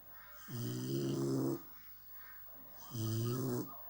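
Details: Sleeping American Staffordshire Terrier puppy snoring: two low, buzzy snores, each lasting about a second and roughly two and a half seconds apart, with a softer breath between them.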